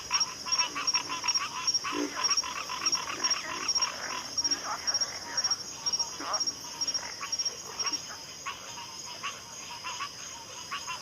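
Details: Pig frogs calling together, a dense run of rapid, rasping grunts overlapping at more than two per second, strongest early and thinning toward the end, with a steady shrill insect drone behind them.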